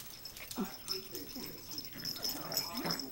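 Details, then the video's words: Two young pet dogs, Boogie and Bella, wrestling and playing; the male is 10 weeks old and plays too hard. Short wheezy growls and whimpering yips repeat rapidly over a steady high hiss, with brief human speech. "Boogie and Bella wrestle and play"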